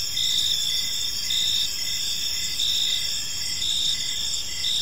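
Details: Crickets chirping on an evening in a park: continuous high trilling bands with pulsed chirps repeating roughly once a second, several insects overlapping over a soft low rumble.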